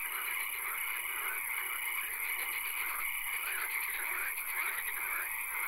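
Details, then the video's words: Frogs calling in a swamp at night, with occasional rain: a dense chorus of overlapping croaks and rattling pulses over a steady hiss and a constant high-pitched whine. "Frog Swamp - Ambience ASMR - 3 Hours - Frog Calls, Swamp Sounds and Occasional Rain"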